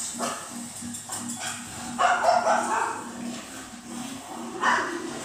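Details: Female cocker spaniel puppy barking in response to a television, watching it happily at home; two short, sharp bark bursts around the second and fifth seconds over a steady murmur of TV sound.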